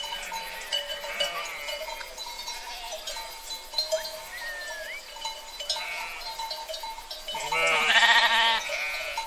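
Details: A herd of sheep, with scattered thin bleats and a short rising call early on, then one loud, quavering bleat near the end, set against continuous ringing tones and faint background noise.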